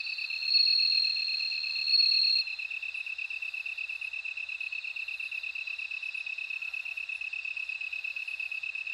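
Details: Bell cricket song: a loud, steady, high ringing trill for the first two and a half seconds, over a constant fast pulsing chirp from another insect that continues throughout.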